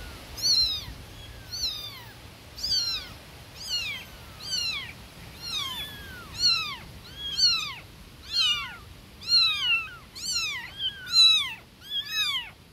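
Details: Loud chorus of newborn kittens crying for their mother cat: sharp, high, arched mews repeated about once per second, several voices overlapping, in a quiet indoor setting.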